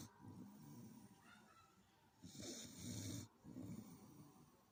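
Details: Sleeping domestic dog snoring: soft low rattling breaths, then one louder, rougher snore with a hissing airflow, then a gentler one.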